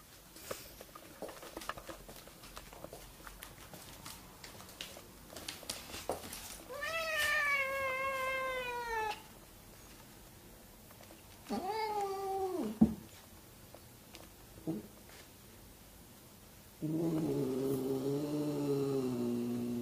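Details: Siamese cats Keiko, a kitten of about three months, and her year-old half-brother Zen, recorded indoors in August 2009 as she moves in. Two long, wavering, downward-sliding meows, then a lower drawn-out moaning call, with clicks and clatter between.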